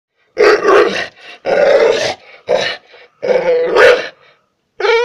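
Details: Pit bull barking at a person: harsh, growly barks in four long bursts of about a second each, with short gaps between them and a final bark cut off at the end.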